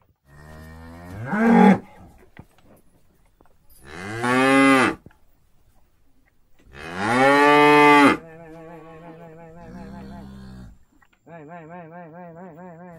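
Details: Tame cattle called with salt water low in three loud, drawn-out moos that swell and break off, followed by quieter wavering lowing from other animals in the herd.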